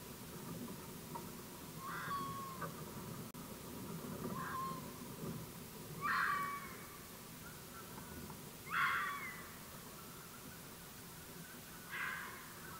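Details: Red fox recorded with an AudioMoth field recorder, file stamped 9 March 2024 at 19:00; five short, harsh, hoarse calls at irregular spacing over a steady low rumble of background noise.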